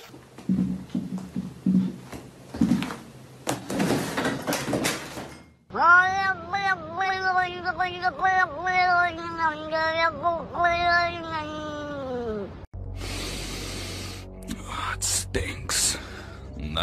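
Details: Domestic cat in a funny pet compilation giving a long run of rapid, wavering meows, each short note rising and falling, for about seven seconds, preceded by thumps and a person's voice and cut off abruptly by other noise.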